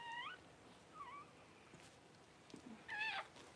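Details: Fresh-born Cavalier King Charles Spaniel puppy squeaking while its mother Paris delivers her litter: three brief high arched whimpers spread over several seconds, the last the loudest, with quiet room noise between.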